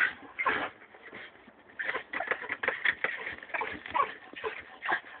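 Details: Jagdterrier whimpering in short, whiny, nasal bursts that come in irregular clusters, with brief quiet gaps between them.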